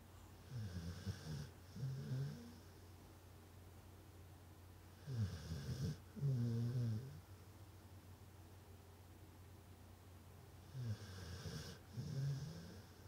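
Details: Dogs sleeping through a cozy afternoon nap in Tennessee, recorded 22 November 2020; soft low snores and breaths come in clusters roughly every five seconds, with faint road hum beneath.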